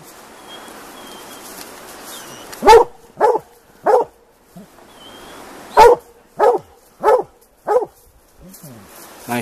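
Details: Plott hounds baying on a tom mountain lion hunt; two bursts of three to four sharp barks separated by quieter stretches with background hiss and faint voices.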